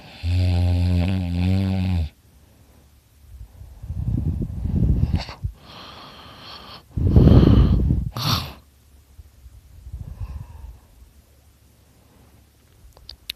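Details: Sleeping dog named Dakota snoring loudly: one low, buzzing two-second snore opens, followed by several rough, hissing breaths and snorts that fade into quiet.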